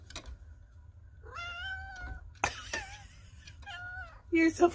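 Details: Indoors, female chocolate tabby Sweet Pea 'talks' loudly to her owner after opening the shutters with her claws, a wake-up signal; two clear, drawn-out meows holding a steady pitch, mixed with a woman chatting to the cat and a soft background hum.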